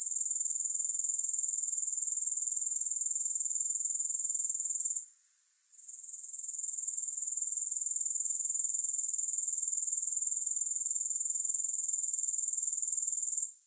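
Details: Grasshoppers sound an unbroken high-pitched rasping trill with regular quick pulses. A short gap near five seconds interrupts it, and it stops again at the very end. No music.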